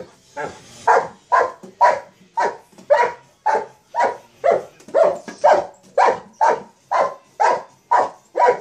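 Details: Playing with a sock monkey jack-in-the-box, a Mastiff lets out a regular series of full, resonant barks, about two each second, with little else audible.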